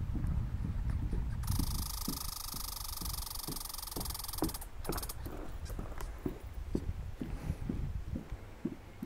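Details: Red squirrel at Lac Boivin, Québec, Canada: a loud, buzzy, broadband rattle held for about three seconds, then irregular soft tapping and knocking sounds continuing to the end.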